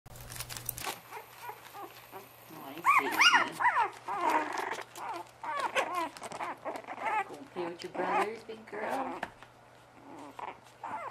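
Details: Bugg puppies indoors giving a busy run of short, high yelps and squeaky whines with bending pitch, overlapping and irregular, some louder bursts near the start, with soft rustling between calls.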